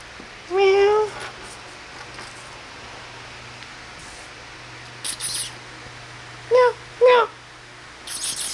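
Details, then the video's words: Kittens playing and feeding: a rising-falling harmonic meow near the start, two short higher mews around seven seconds, and brief scratchy clicks in between, over a steady low hum. "Relaxing 1 Hour With Cute Kittens - Playing And Feeding"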